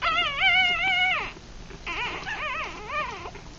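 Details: Three-day-old Rat Terrier–Chihuahua cross puppies, eyes still closed, feeding; a long steady high whine with rich harmonics, then after a pause several shorter wavering, up-and-down whimpers.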